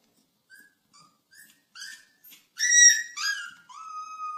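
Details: High, thin puppy whining, starting with a few soft, isolated peeps, then building into louder drawn-out whimpers that end on a long, steady, piping note.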